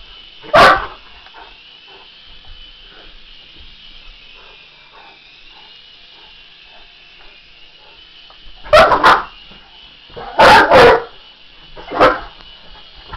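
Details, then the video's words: English Mastiff reacting to an RC helicopter, letting out deep single barks, then a double bark and a quick cluster of barks, over the constant high whine of the helicopter's motor. "English Mastiff VS RC helicopter"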